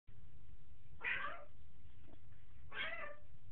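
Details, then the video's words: Black cat playing in a bathtub, giving two short, bright meows about a second and a half apart, with a steady low hum underneath and a faint human voice afterwards. "Black cat playing in the bathtub"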